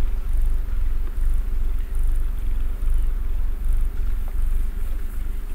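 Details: Mister Man, a pet cat, purring while sitting snuggled in one position; deep, steady low rumble with rhythmic swells roughly every second, each breath cycle audible as a rise and fall in loudness.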